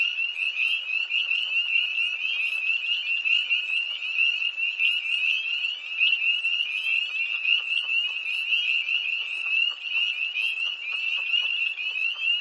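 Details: Many tree frogs call together beside a pond after dark on 1 March 2011 near Hillsborough, North Carolina: shrill, pulsing trills pile up into an unbroken high chorus, with faint lower clicks beneath.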